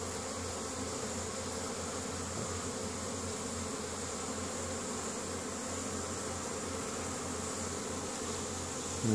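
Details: Spring foraging honey bees carrying pollen back to the colony at Caribou, Nova Scotia, Canada, 10 May 2015; a continuous low buzzing drone from many bees holds steady throughout, ending with a sudden louder knock.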